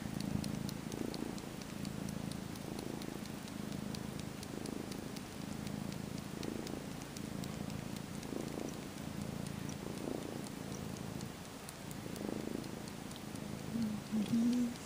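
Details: Twelve-week-old kitten purring contentedly as he mock nurses on a 1960s-style faux fur blanket, kneading with his paws; long, even, low purr pulsing roughly every two seconds with each breath, a few soft clicks.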